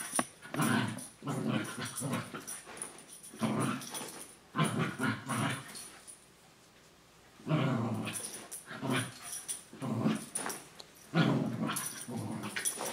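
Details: Playful indoor wrestling between sibling dogs Senji and Chloe, one a puppy six months younger than the other: dense rough growls and snarls in repeated bursts, a brief lull near six seconds, then more growling.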